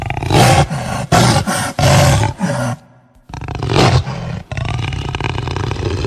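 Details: Jaguar roaring in a quick series of four short, harsh, low grunting bursts, then a pause, followed by a longer rough roar fading into a steady low rumbling growl.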